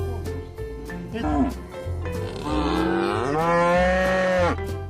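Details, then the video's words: Brief low grunt from cattle, then a long moo that swells upward in pitch and sustains for over two seconds before cutting off, set against continuous background music. "SOM DOS BOIS"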